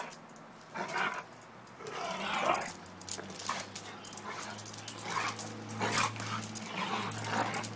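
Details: Pitbull and German Shepherd in rough play: low, droning growls run under harsh, breathy snarling bursts that rise and fall every second or two, with scuffling throughout.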